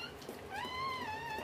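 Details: A single smooth whine, gently rising and then falling, is heard indoors during a Dobermann's puppy birth after a full day of labor. A quiet room hum sits underneath.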